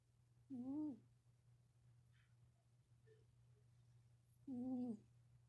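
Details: Pet cat snoring indoors: two tonal, nasal-sounding snores, each about half a second long with a slight wavering pitch, spaced roughly four seconds apart over a steady low electrical hum in a quiet room.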